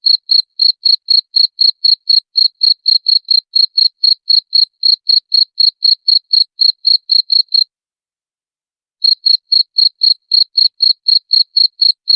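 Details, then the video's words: Cricket sound meant to repel rats: a fast, even train of high-pitched chirps, about four per second, breaking off into roughly a second and a half of silence before the same rhythm resumes. "SUARA JANGKRIK PENGUSIR TIKUS"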